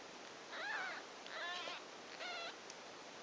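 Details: Newborn Ragdoll kittens, six days old, from Ginger and Floyd's litter at a cattery near Poitiers, France, during feeding time; three clear, thin, high-pitched mews, the first bending up then down, the last a rapid trilled quaver, over a low hiss.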